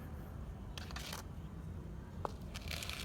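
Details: Indoor handling noise: soft rustles, shuffling bursts and one sharp click over a low hum, with no animal voice.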